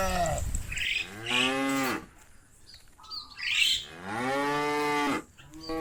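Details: Herd of cows leaving the fields and wanting to go home to the barn: two long harmonic moos of about two seconds each, strong and steady, separated by a quieter gap with scattered higher squawks.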